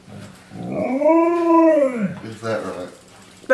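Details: Indoors in a home with three Alaskan Malamutes and a German Shepherd, a Malamute waking a sleeping person in the lounge room gives one long howl of about 1.5 seconds that swells up, holds and falls, followed by speech and a rustle.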